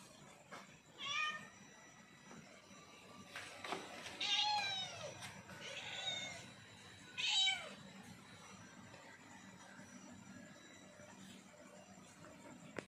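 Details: A hungry leopard cat gives drawn-out, wavering meows, begging for food.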